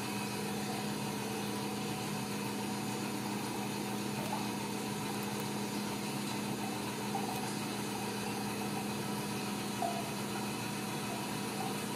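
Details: A steady mechanical drone like an idling engine fills the whole stretch, with a constant low tone and broad hiss; no animal sound is heard.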